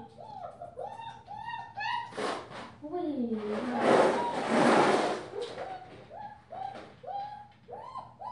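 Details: Five-week-old female German Shepherd puppy wearing a purple collar, giving a run of short high whines and squeaks that rise and fall, about one each second, broken midway by a burst of louder rustling noise indoors.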